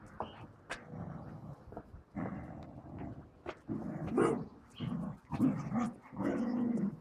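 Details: Pet dogs playing with a balloon: low rumbling growls in bursts of about a second, broken by sharper yelping barks, with rustling and thumps of play between them.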